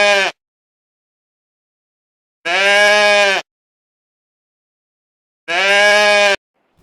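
A goat gives loud, nasal, wavering bleats, each just under a second long and spaced about three seconds apart, with silence in between.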